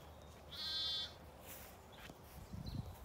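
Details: High, thin bleat from a lamb playing outdoors on a sunny day, County Kilkenny farm in Ireland; a single sustained cry lasting about half a second, followed by soft scuffling.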